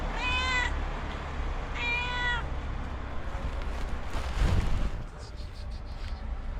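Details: A stray cat, shy about taking food offered by a person: two clear, bright meows about one and a half seconds apart, each slightly rising then falling, over a low background rumble.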